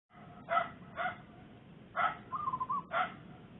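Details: A female dog with puppies in the Makassar industrial area gives four sharp, harsh barks about a second apart one morning, with a brief wavering whine between the last two, over a low background rumble.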